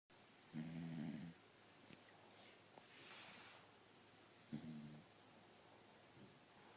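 A Corgi snores in low, rumbling breaths about four seconds apart.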